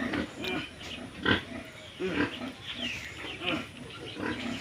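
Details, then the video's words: Duroc pig giving short, irregular bursts of low harmonic grunts with a few squeaky notes, spaced unevenly through the recording, with faint human voices in the background. "Duroc pig / ডিউৰক গাহৰি"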